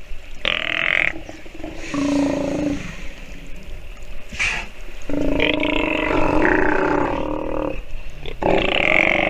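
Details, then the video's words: Nursing sea lion pup giving drawn-out, raspy harmonic bleats, some short and grunting, others held for several seconds, with pauses between them. "Sea Lion pup has listened and learned while nursing - video has sound"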